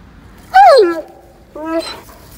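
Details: Dobermann Roman, a large dog who walks daily in rain or snow, out on a rainy-day walk; two clear tonal whines, the first sliding steeply downward, the second shorter and held level, against a quiet background.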